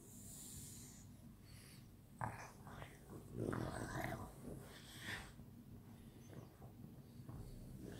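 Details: French Bulldogs playing together at night: snuffling, wheezy snorts and short throaty bursts clustered in the middle, then softer panting-like breaths over low background hum.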